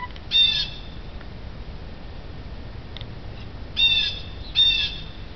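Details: Female domestic cat chirping while looking at birds through a window; three brief bright chirps, one early and a close pair near the end, with faint soft sounds between and steady low background noise.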